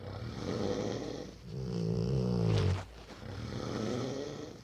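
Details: Four-year-old Rottweiler asleep inside, giving a run of low, rough, rumbling snores, one long growly breath in the middle, with continuous breathing noise throughout.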